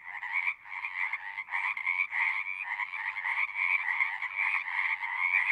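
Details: Loud, close chorus of singing frogs with dense overlapping trills, the sound surging and dipping in uneven waves every half second or so over a quiet low end.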